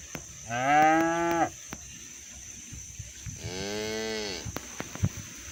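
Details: Cows roaming the fields while being herded to the barn, calling their friends to come home: two drawn-out, harmonic-rich moos about a second each, separated by a quiet pause with faint background clicks.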